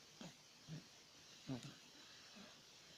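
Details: Dog snoring in deep sleep, short soft rasping snorts recurring roughly every half second to second against a quiet, hissy background.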